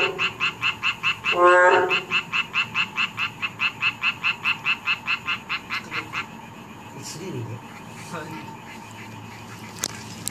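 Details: Narrow-mouthed toad giving a single loud nasal croak near the start. A fast, regular pulsed calling follows at about three pulses a second, then stops after six seconds, leaving faint background noise with a few clicks.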